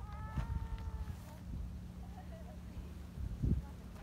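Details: Friendly tabby community cat that likes to be stroked gives a short meow that slides gently downward. Faint voices and low bumps from handling follow.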